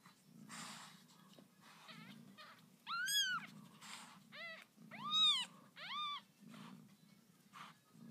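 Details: Newborn kittens of the cat Lucy mewing indoors: about five high, arched cries, each rising then falling, bunched around the middle of the stretch, over a steady low hum.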